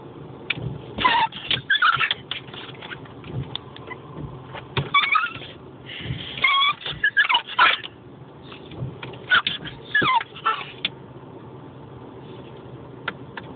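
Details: Dog reacting to windscreen wipers with repeated high-pitched yelps and whining barks in clusters over a steady vehicle hum.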